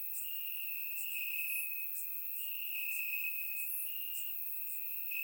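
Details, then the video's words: Warm summer night in Bulgaria with crickets chirping in grass: an unbroken piercing trill at steady pitch, occasional sharper high pulses from other insects, quiet steady background, surround-microphone recording. "Cricket Sounds - Crickets Chirping at Night"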